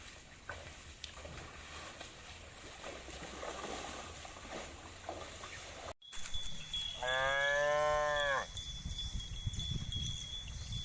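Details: Cow mooing: a single drawn-out, harmonic-rich low moo lasting about a second and a half, preceded by a noisy outdoor stretch and an abrupt cut, with a steady high tone and background hiss.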